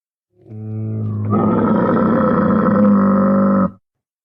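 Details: Camel giving a low, steady droning moan that swells after about a second into a louder, rough, rumbling roar held for roughly two more seconds, then cut off sharply; no other sounds.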